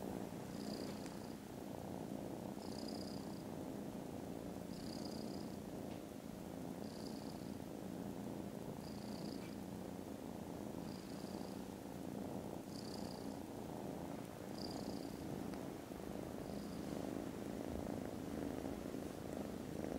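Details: Very loud purring from foster kittens dozing contentedly after lunch, 18th December. A dense, continuous low rumble with no breaks, while a soft high-pitched chirp repeats roughly every two seconds in the background.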